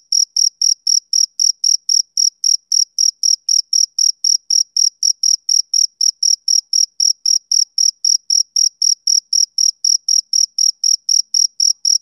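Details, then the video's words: A male cricket chirps through a summer evening. Each note is a brief, shrill pulse, and the pulses repeat evenly at roughly four per second. No other animals or background noise can be heard. "Cricket Chirping Sound Effect"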